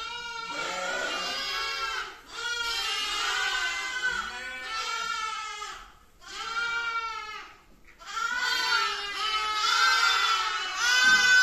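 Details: Little lamb giving repeated shaky, high-pitched bleats in bursts of one to two seconds, separated by brief pauses, with a closer and louder run near the end.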